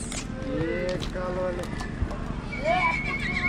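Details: Horses at Arbore, Suceava, Romania, in 2022; a tonal, wavering whinny near the end, with hoof clip-clops, people talking and music playing throughout.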